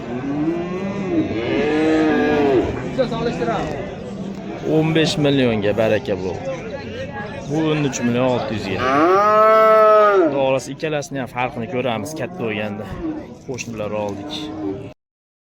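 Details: Repeated bellowing from bulls at the Oqtepa livestock market, Oltinko'l, Andijan, Uzbekistan: a string of loud, harmonic moos, some overlapping, the strongest near ten seconds, with occasional voices in the crowd.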